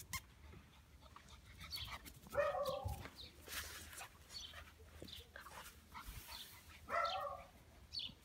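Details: Ten-week-old Belgian Shepherd Malinois puppy named Dream gives two short, tonal whimpering yelps with layered overtones. The first comes after about two seconds and the second near seven seconds. Soft clicks and rustling are heard between them.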